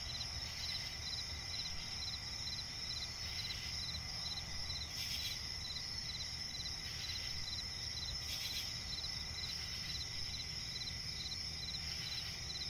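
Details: Crickets chirping at night in a swamp forest, steady pulsing high trills repeated in even beats with a continuous ringing chorus behind, brief louder bursts near five and eight seconds, low background hum.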